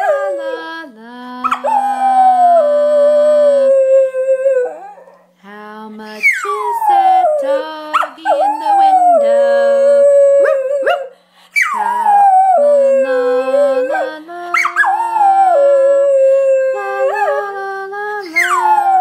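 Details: Kyser, a one-year-old Schnauzer who loves to sing, howls along with his owner: long wavering howls that slide downward, broken by short yips and whimpers, with a person singing and speaking between them.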